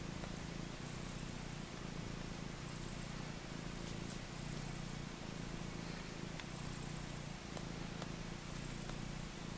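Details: Four-day-old Maine Coon mix kittens crowding to suckle, with an unbroken deep purring drone that swells slightly at times and light scattered ticks above it.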